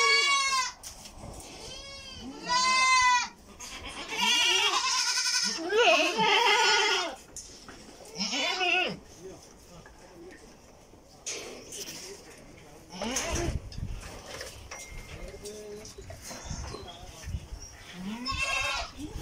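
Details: Goats at a goat feeder tray on a farm in Karnataka, India, giving loud, wavering, harmonic-rich bleats, several in quick succession early on, then fainter scattered bleats and some background voices and clatter.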